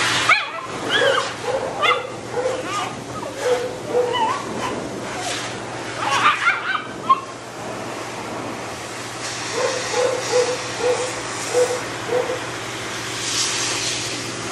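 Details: Matted Shih Tzu that bites when in pain, being dried and de-matted: short high whimpering yelps in quick runs, sharper bursts around the middle, another string of yelps later, all over a steady hissing blower.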